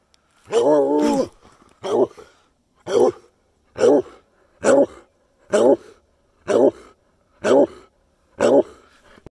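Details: Treeing Walker Coonhound, camping in Washington's mountains, sneezes in a rapid run of short, sharp bursts, about one each second.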